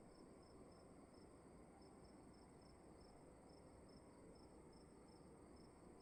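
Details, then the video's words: Cricket calling inside a room: short high chirps repeated steadily about two or three times a second over a constant faint high whine and a soft low hiss of room noise. "Sound of emptiness and crickets in the room"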